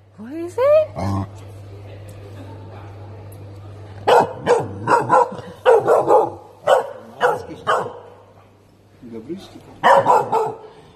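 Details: Tibetan Mastiff puppy meeting a new animal at a pet store; a high rising whine opens, then after a quiet stretch come repeated deep barks in irregular bursts, while a person speaks encouragingly nearby.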